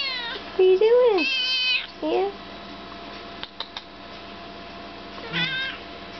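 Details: Vocal chocolate point Siamese kitten, five months old, giving a run of meows in the first two seconds: a short rising-falling cry, then a loud high wail sliding down, then a brief shorter mew. Another bent meow follows near the end, with a person speaking around them.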